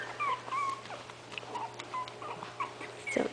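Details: Itsy Bitsy's five 20-day-old puppies wait indoors for their mother to feed them, giving a string of thin, high whistled squeaks that slide up and down, several overlapping, with a louder yelp at the end.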